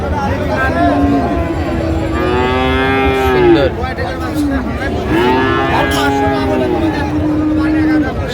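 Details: Friesian and crossbred bull calves at Raniganj cattle market, Dinajpur, Bangladesh, on 24 April 2025: two long, harmonic, mid-pitched moos with gently falling ends, each lasting about two seconds, over a steady market hubbub.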